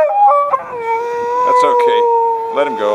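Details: At a Fourth of July parade in Corte Madera, California, on 4 July 2012, a rescued Brittany gives a long, sustained howl as a vintage fire truck passes. The howl wavers, then holds steady, amid outdoor crowd noise.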